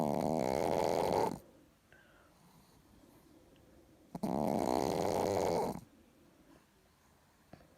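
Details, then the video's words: Chihuahua named Richard, asleep, snoring sweetly indoors. Two loud, rasping, harmonic snore breaths of about a second and a half each, one at the start and one near four seconds, with soft quiet breathing in the pauses between. "ЧИХУАХУА РИЧАРД СПИТ И ХРАПИТ СЛАДЕНЬКО"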